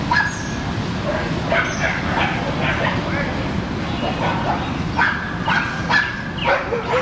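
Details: Several dogs at play in a Brooklyn dog park give sharp, bright barks in irregular bursts, some clustered closely, over a constant low hum of city background noise with people conversing.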